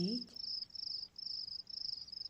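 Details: Cricket song from a nature recording: repeated high, buzzy trilled phrases of about half a second each, with a brief voice at the very start.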